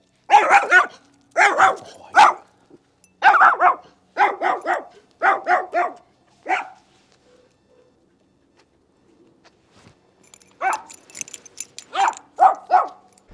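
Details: Highly stimulated 1.5-year-old mixed-breed dog, adopted from a hoarding situation, barking reactively at another dog while allowed to bark it out: about eight sharp barks in quick bursts, a pause of several seconds, then five more rapid barks.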